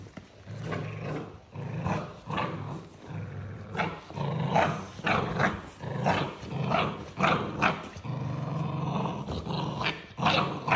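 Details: American XL Bully puppy growling in a rough, repeated series of low rumbling bursts with short pauses, some pulses rising into harsher barking tones; a person's voice is heard faintly.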